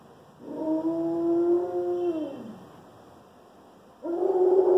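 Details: Alaskan Malamute, one year old, howling for the first time: a long steady harmonic tone of about two seconds sliding down at the end, then after a quiet gap a second howl begins.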